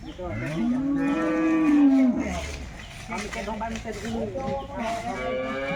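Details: A Jersey cow calls at a busy wholesale cattle market, a single drawn-out low moo rising then holding steady before dropping off, with crowd noise and other bellowing cattle fainter behind.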